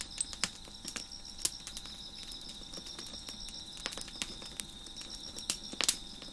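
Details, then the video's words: Crickets chirping in the background beside a fire crackling on a deck: a steady high, thin double-toned trill runs unbroken throughout, while sharp irregular pops and snaps of burning wood punctuate it. "Crickets Chirping in the Background"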